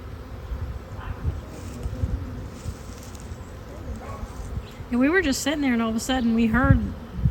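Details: A swarm of honeybees appearing suddenly on a fine-weather day, before a beekeeper comes to rescue them; a dense, steady low buzzing hum fills the first seconds, then a person's voice talks over it.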